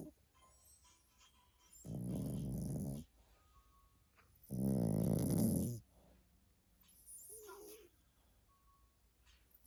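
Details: Dog snoring in its sleep, three low, gravelly breaths about a second long spaced a few seconds apart, the last one softer and higher, with near silence between them.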